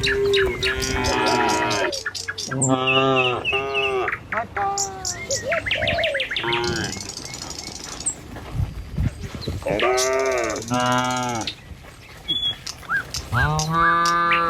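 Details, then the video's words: Tame village cattle walking along a rural road toward their pen in the morning, Indonesia: repeated deep, drawn-out moos from several animals, some rising then falling, with bird chirps and twitters between the calls. "Suara Sapi Moou Sepanjang Jalan Menuju Kandang"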